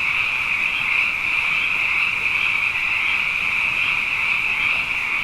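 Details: Abundant frogs chorusing at night after two wet years in a row, a dense unbroken wall of high, rapidly pulsing croaks blending into one steady trill with no gaps, no other sounds standing out.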